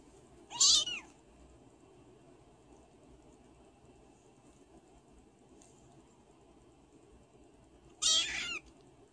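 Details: Male foster kitten playing in his foster home meows twice, about seven seconds apart; each call is high and arching, rising then falling, with near silence between.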